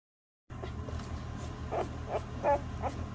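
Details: One-day-old Basset Hound puppies from a litter indoors: a few short, thin whimpering squeaks spaced about a third of a second apart over a steady low hum.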